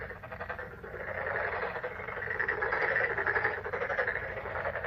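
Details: Frogs in May calling together, a fast rattling chorus of overlapping croaks, about two pulses per second in the loudest voices, building in loudness toward the middle before easing.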